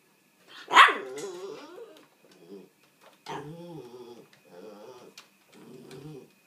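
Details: Dog demand-barking to be let out of its house: one loud sharp bark followed by a series of shorter whining, harmonic yelps and whimpers in rapid bursts.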